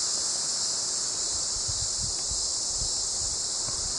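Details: A cicada in summer in Flagstaff, Arizona, 2019, part of an emergence said to come every 5–7 years, gives a steady, high, hissing buzz that drones without a break, with soft wind rumbles beneath.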